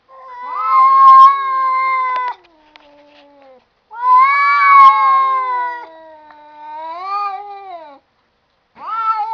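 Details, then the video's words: Cats talking to each other with long drawn-out meows and wails, two loud vocal bouts each lasting about two seconds with wavering, harmonic-rich pitch, separated by quieter trailing calls. "cats talking"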